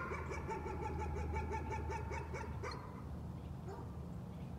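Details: Dog barking as a nuisance: a quick continuous string of clipped yaps for nearly three seconds, then fading off, with a constant low droning hum underneath.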